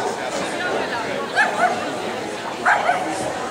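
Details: Siberian Husky at the 2015 dog show in Wieze, Belgium: two short, high yelps with a bending, wavering pitch, about one and a half seconds apart, rising over a steady murmur of crowd chatter.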